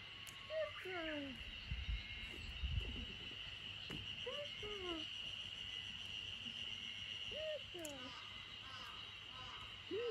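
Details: Samoyed puppy Lucky, 64 days old and three days in her new home, escaping in a garden corner in Niseko, Hokkaido, Japan, on 3 June 2021. High, thin whimpers bend downward, repeating in short bursts, over a steady insect-like hiss.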